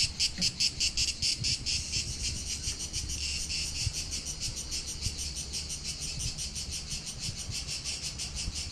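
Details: Cicadas sing a loud, shrill, rapidly pulsing buzzing chorus over faint low rumbling at Palaiokastritsa on Corfu island, Greece, in summer, July 2020.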